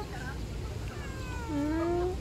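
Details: Street cat being fed in June gives a short drawn-out meow, steady then slightly rising, while a person quietly urges it to eat; constant low rumble of traffic underneath.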